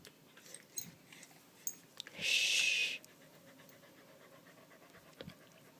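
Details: A frightened dog named Candy pants after a fire alarm's low-battery warning; soft rhythmic breathing continues throughout, interrupted by a loud, shrill electronic beep lasting under a second.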